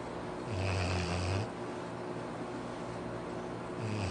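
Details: Labrador Retriever Arfie snoring at home: a rumbling, breathy snore near the start, a quiet pause, then the next snore beginning, all over a low steady hum.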